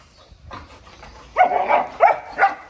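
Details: Big golden retriever kept as a family dog, playing hard, gives three short, rough, grunt-like bursts about half a second apart, preceded by soft shuffling noises.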